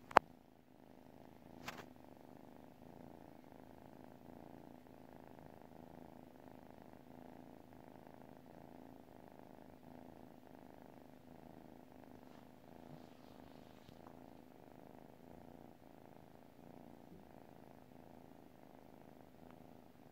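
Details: Domestic cat purring while asleep, a soft, steady low rumble pulsing in even cycles roughly every half second for the whole stretch, with a couple of sharp clicks near the start.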